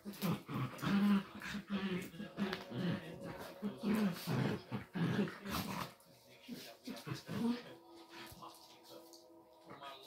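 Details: Female Chinese Crested Dog gives rapid, gruff barks and rumbling growls in quick bursts for about seven seconds, then a softer, thin whine, while playing in her own way with a small Miniature Pinscher.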